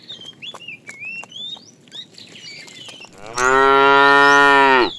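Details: Afternoon herding of tame cows; a fat cow calls the female with one long, loud, droning moo of nearly two seconds, rich in harmonics and ending abruptly, preceded by sweet whistled birdsong.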